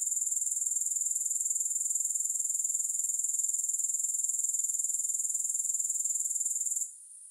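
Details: Grasshoppers chirring in a steady, high-pitched shimmer, pulsing rapidly and evenly without pause until the sound drops away sharply in the final half second; no music or other sounds.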